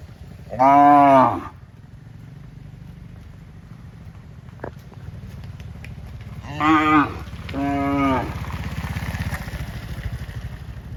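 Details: Cow mooing while running back to the barn: three loud, harmonic moos, one near the start and two close together later, over a steady low rumbling hum.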